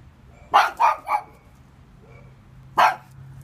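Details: Pug defending against intruders with a rapid run of three sharp barks, then a pause and one more loud bark; faint low hum in the background.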